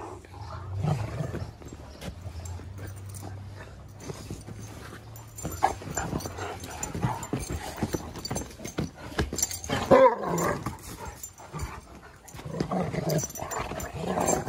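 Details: Two Great Danes, Raya and Baldur, playing together in the yard early in their relationship; a low steady rumbling growl early on, then louder harsh vocal bursts near the tenth second and again toward the end, amid scuffling, thumps and paw noise.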